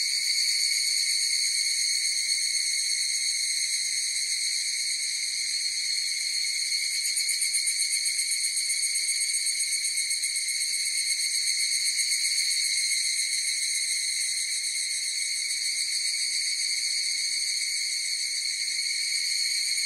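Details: Many higurashi (evening cicadas) calling at once, making a long sustained high whine with a fine rapid throb; a gentle rise and fall in intensity over about twenty seconds, with no birds or people.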